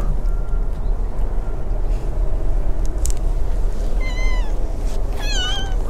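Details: Abandoned tabby kitten in a park with a large pond, slightly sniffly with a cold, very affectionate and trying to climb onto a lap or shoulder; two short, high, bending meows near the end over a steady low rumble of wind or traffic.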